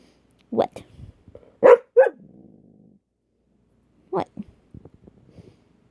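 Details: Pet dog in trouble and talking back, answering with short, yowling, speech-like vocal bursts in a small indoor room, two near the start and another pair later, alongside a person's voice.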